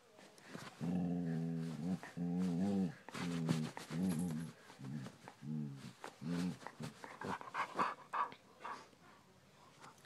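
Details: A Siberian Husky, described as very defensive of its owner, howls and grumbles in drawn-out, wavering, talkative vocalizations, noises it makes every day.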